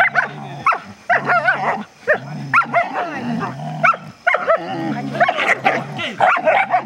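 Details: Border Collies Thor and Logan tugging on a rope during a walk at Vale do Sol; steady low growling broken by repeated high yelps and barks, with faint music and a voice in the background.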